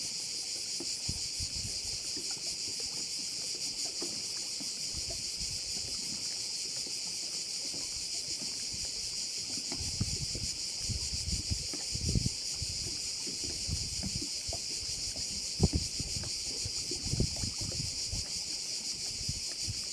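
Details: Crickets by a bay on Korčula keep up a constant shrill, high buzzing chorus, while intermittent low rumbling bursts, probably wind or water, rise and fall beneath it.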